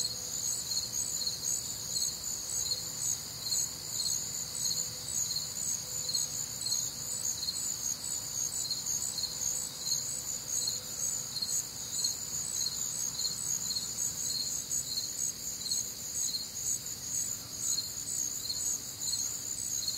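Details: Night-time crickets recorded on a humid, warm summer night in the Midwest, a steady overlapping chorus of high, trilling pulses, roughly two chirp bursts each second, layered in several pitch bands, with a soft low rumble in the background.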